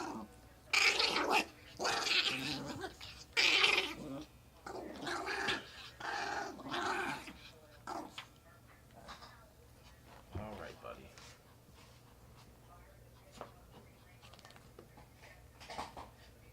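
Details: Riled-up pet chihuahua making odd excited noises: a run of loud, harsh, broadband growly yelps and grumbles in quick bursts over the first eight seconds, then quieter scattered snuffles and faint sounds, with a second chihuahua present.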